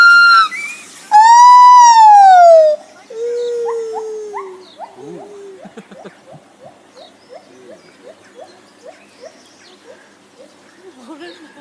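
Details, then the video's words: Lar gibbon giving loud drawn-out wailing notes that rise and fall, followed by a long run of short quick hoots fading into softer calls. "Lar Gibbons making funny noises"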